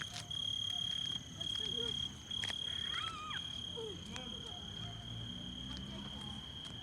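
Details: Crickets on a summer evening: a sustained high ringing trill that breaks off briefly twice early on, then continues evenly, with faint low voices or calls underneath.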